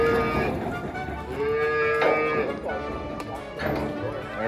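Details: Grass-fed Red Angus cattle on a farm, cow-calf pairs and a steer, give long, drawn-out moos, one after another.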